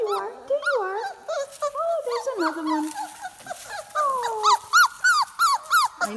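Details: Four-week-old puppies in a kennel, described as big pups now, give overlapping high whines and yelps, some rising and falling, others short and repeated, several voices calling at once.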